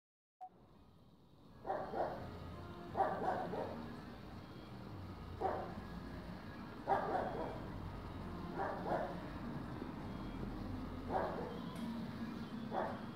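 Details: Fox terrier named Edi, a puppy, on a search mission; short barks and yips spaced one to two seconds apart, broadband bursts over a low rumbling background.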